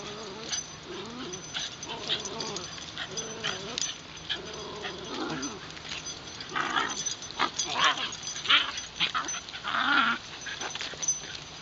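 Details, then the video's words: A Wire Fox Terrier at Shinjuku Central Park, filmed on a LUMIX FT1, gives a run of whining, tonal whimpers and small yips throughout, the bursts growing louder and denser toward the end over outdoor hiss. "wire fox terrier"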